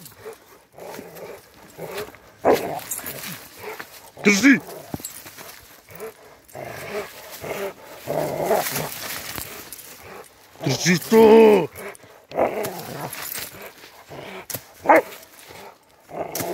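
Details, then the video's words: Rottweiler during attack training for self-defence: a few loud, harsh barks and growly bursts, the loudest near the end, mixed with frequent nearby human speech. "Rottweiler attack trainng for self defence"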